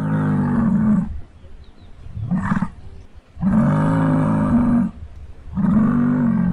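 A muskox gives deep, droning bellows, each about a second long, with a short grunt between.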